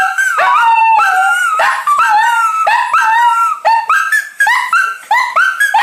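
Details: A Shih Tzu, one of the household's dogs, howls along to a recorder tune being practised, apparently disliking it. Its quavering, mid-pitched howls slide up and down with the melody and break into short yips.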